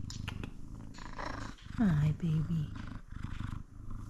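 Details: A male F2 Savannah cat keeps up a deep, pulsing purr throughout, broken by a short downward-sliding meow and a couple of quick chirping notes, while a woman speaks softly to him in the background.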